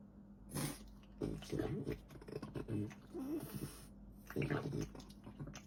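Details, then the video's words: French Bulldog eating, loud sloppy chewing and lip-smacking in irregular bursts, with a low guttural rumble partway through that may be a burp, over a steady background hum. "Dog eating sounds & funny burps!"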